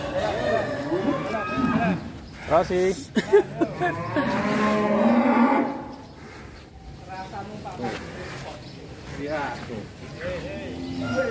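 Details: Very large fattened cattle in Indonesia, raised as a candidate for the Qurban sacrifice, give a long, low, drawn-out moo with rich harmonics midway, alongside short lower grunts and men talking throughout.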